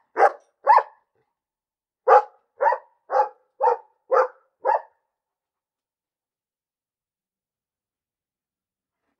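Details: A dog barks twice, pauses, then gives a faster run of six short barks before falling silent; one more bark begins right at the end. Clean, quiet background.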